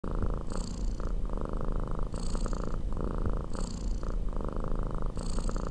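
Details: Kitten purring on a couch: a steady low rumbling purr, continuous throughout with faint rhythmic breathing cycles about every one and a half seconds.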